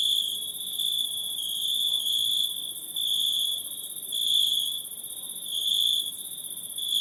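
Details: Nocturnal forest insects keeping up a continuous shrill, metallic trill topped by a very high buzz, volume pulsing in soft surges about once a second to every two seconds.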